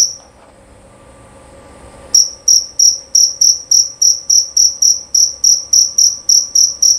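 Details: After two seconds of near quiet and one faint early chirp, a male jerabang cricket starts a loud, clear train of sharp, high chirps, about three per second.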